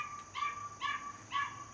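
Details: Three high-pitched, drawn-out whimpering yips from a home-raised Border Collie puppy born 5 July 2024, evenly spaced about half a second apart, clear and tonal against a quiet background.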